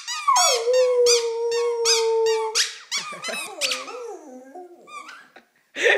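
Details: Pet dog sings along with squeaky toys: a long steady howl under rapid rhythmic squeaks, then wavering lower howl notes, closing with a short squeak burst.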